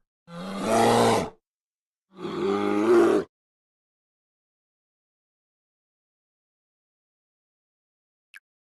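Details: An American black bear (Ursus americanus) gives two deep, rasping growls, each lasting about a second, separated by a short pause.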